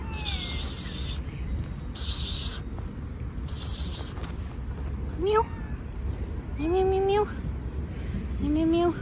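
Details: Hungry stray cat fed at a roadside, wanting food and trying to open a school bag; several rising, harmonic meows in the second half, each about half a second long, over steady low traffic rumble and bursts of hissing noise.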